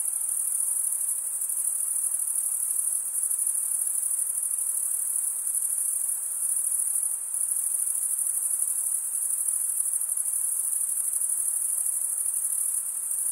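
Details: Chirping crickets fill a summer forest at night with a constant high, sizzling trill, rapid pulses merging into one steady sheet of sound, with slight dips in loudness now and then.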